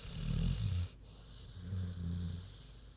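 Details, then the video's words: Queenie the pig asleep, a gravelly low snore on the in-breath, a brief pause, then a smoother droning out-breath. "Big Pig Snoozin' (HD Queenie Snoring Audio)"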